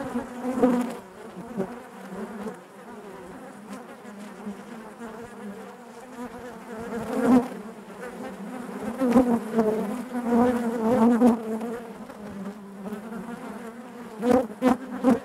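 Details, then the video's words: Hive of honey bees heard from inside, a continuous low buzzing drone that swells and fades unevenly, with several louder passes of single bees near the end. "bees therapy hive natural buzzing sound"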